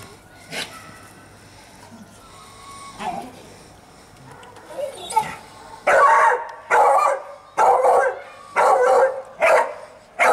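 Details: Staffordshire Bull Terrier Fudge playing outdoors in the sun on Mother's Day 2017; faint scattered sounds early on, then a steady run of six loud, gruff barks roughly one per second.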